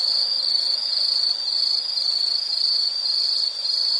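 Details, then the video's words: High continuous insect trilling in natural surroundings, nearly unbroken and steady, with a brief dip near the end. "Nature sound of nature sounds scenery L · insect"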